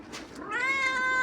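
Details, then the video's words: Domestic cat meowing while pestering its owner: one drawn-out, clear harmonic meow that rises, then holds steady and slightly wavering, after a short scrappy start. "Billi bhut paresan kr rahi h"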